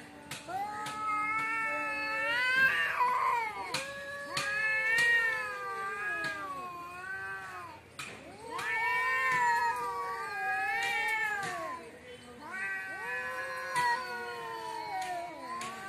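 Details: Outside a house, a cat wails in loud, long, wavering caterwauls, each rising and falling over about two seconds, repeated almost without pause, with only faint room noise behind.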